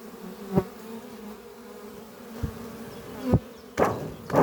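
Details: Honey bees flying close by the entrance of the horizontal oak-chest hive Doppio on a spring morning. A low steady hum is broken by several loud, sudden buzzing swells as individual bees pass near.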